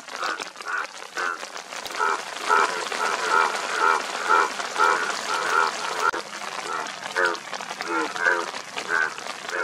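Indian bullfrog giving nasal, bleating croaks about twice a second over a steady crackling hiss.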